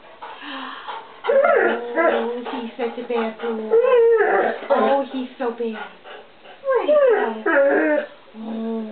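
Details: Ozzy, a one-year-old English Setter puppy in a home kitchen, whines for stored treats: wavering, sliding whimpers and yips with a woman talking over and between them.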